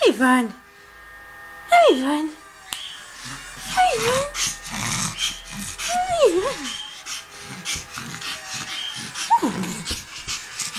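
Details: Sophie, a Hungarian Griffon Bruxellois, at play indoors: five high, sliding whines and yips, each bending sharply downward, spread over the clip, while people talk and household clatter runs beneath.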